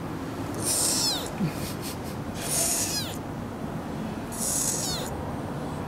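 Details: Three-week-old kitten, seemingly the smallest of a litter of four born to a semi-feral cat, held in the hand: three thin, very high cries, each about half a second and sliding downward, spaced roughly two seconds apart over low background rumble.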